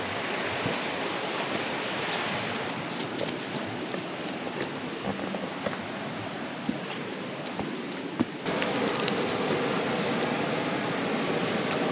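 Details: Broadband wind-like rushing noise outdoors in the Buckland Valley, Northeast Victoria, Australia, with scattered clicks and a louder shift partway through, and no dog sounds.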